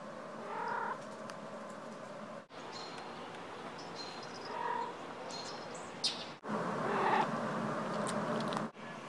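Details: Female cat named Alice chirruping when startled or woken from a nap; short trilled, rising chirps in separate bursts against a steady background hum, with brief cuts between them.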